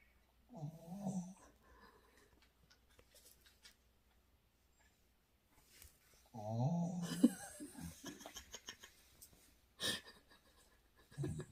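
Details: Shiba Inu named Bongsim indoors, making strange noises because it wants ice cream: two bouts of nasal, wheezy, wavering whines, the second longer and rising, with a woman speaking Korean and brief rustling.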